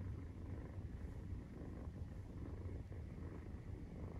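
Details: Nursing-time purr of Maine Coon cats with 43-day-old kittens: a deep, even, vibrating rumble, steady from start to finish, with no other clear sounds.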